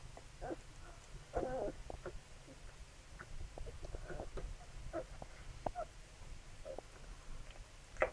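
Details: Nursing Labrador Retriever puppies make brief high squeaks and soft grunts at irregular intervals, over a constant low hum.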